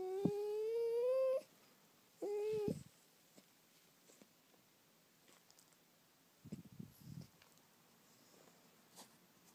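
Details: Golden Cocker Spaniel puppy, eight weeks old, on its first day: two plaintive whines, a long slowly rising one and a short one, followed by near silence and a few faint rustles.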